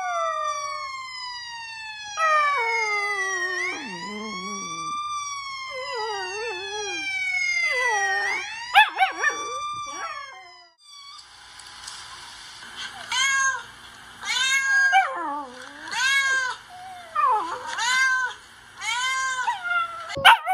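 A Samoyed puppy howls in long, wavering, high-pitched notes that slide up and down.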